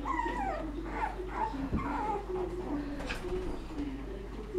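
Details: Seven-week-old Shih Tzu puppies whimpering, with high thin whines that slide downward, repeated several times over a low steady hum and soft lower murmurs.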